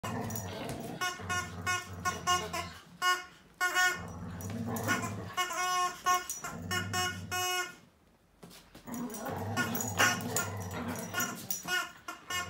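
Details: Whippet dog fighting a duck, low rumbling growls in long stretches broken by bursts of sharp, harmonic squawking calls, with a quiet gap near the eighth second before the scuffle resumes.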